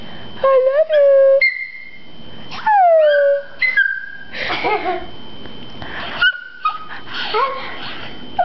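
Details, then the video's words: Pet Chihuahua prompted by its owners to howl: short high chirps, then harmonic calls sliding downward, with a steady whistle-like tone in the background and people talking softly in between. "Chihuahua Shasta Chirps & Howls"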